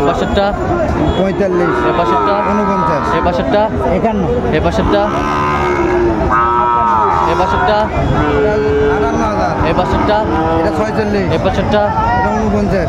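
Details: Crowded Chittagong cattle market with Sahiwal bull calves on sale, 16 September 2024: repeated moos from many animals overlap, several long arching calls at intervals, amid loud crowd noise and people calling out prices.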